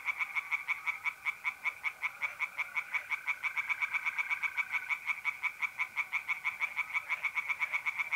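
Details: Nighttime tree frog chorus from a pond in north-eastern Italy, mid-April: a quick, steady stream of harsh pulsed croaks, layered with a faint continuous trilling of mole crickets.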